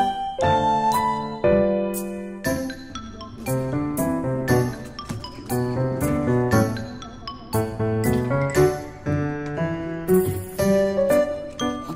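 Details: Light piano and chiming keyboard music plays in a cheerful melody, with no animal sound.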